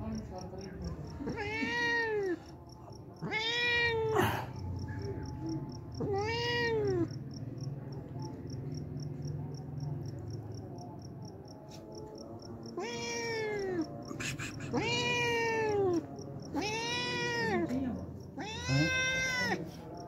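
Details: Hungry homeless cat coming every day for milk, giving a series of short arched meows, several close together in the second half, over a low hum and a faint regular beeping.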